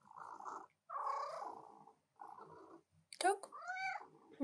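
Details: A female house cat demanding attention while her owner works at the keyboard. Murmured human talk comes first, then a clear rising-and-falling meow with rich harmonics near the end.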